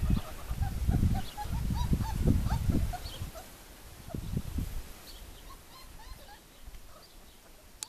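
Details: Squeaky, bending whimpers from four-week-old puppies come in quick succession early on, with a few thinner squeals later, over low muffled rumbling that fades toward the end.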